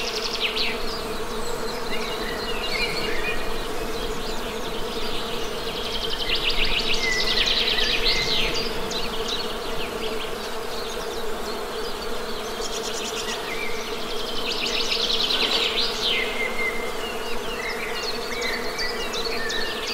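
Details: Steady honey bee hum, swelling slightly in loudness at times, beneath frequent bird chatter with fast trills and sharp chirps.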